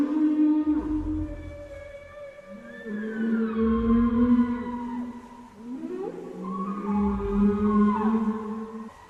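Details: Whale song for communication, long sliding moans with rich harmonics, some held steady and others bending up and down, overlapping low pulses underneath, phrases flowing into one another.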